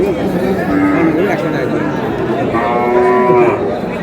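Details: Cows sold for meat at Aftabganj haat, a cattle market, on 22 April: a low, drawn-out moo with a rising tail, then a second longer, level moo, over steady crowd chatter and bargaining voices.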